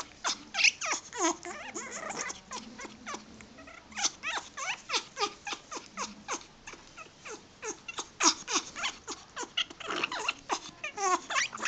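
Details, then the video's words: Tori, a pet dog, making odd vocal sounds: a rapid run of short, high squeaky chirps and whines, many sliding downward, coming several per second in uneven bursts with brief pauses between. "Tori's weird sounds"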